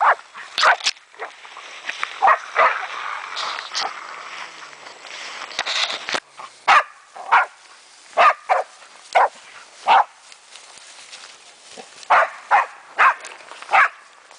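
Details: German wachtelhund Meya having fun with a raccoon dog, opening with a muddled stretch of rustling and overlapping yelps, then clear single barks spaced about half a second to a second apart.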